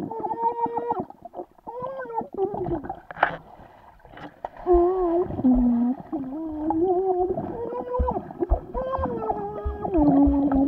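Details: Vizsla dog swimming, giving drawn-out tonal whines that waver up and down in pitch, some held, some dipping lower, broken by brief splashy pauses and low paddling thumps.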